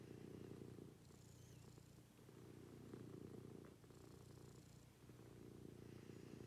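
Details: A pet cat purrs through a morning routine at home, a continuous low rumble swelling and easing with each breath, roughly every one and a half seconds, over a quiet room with faint high hiss.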